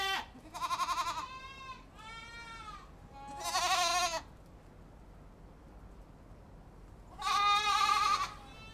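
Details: Overlapping bleats from a group of goats open the sequence, then a strong tremulous bleat, a quiet pause, and another loud drawn-out bleat near the end.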